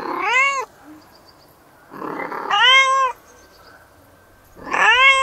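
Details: Domestic cat from a cat and kitten compilation, three loud bowed meows, one short, one longer and drawn out, and a final call cut off at the end.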